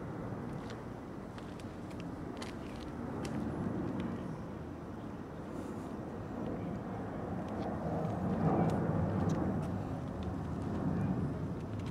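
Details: Steady outdoor rumble of passing traffic and distant vehicles, with no animal voices.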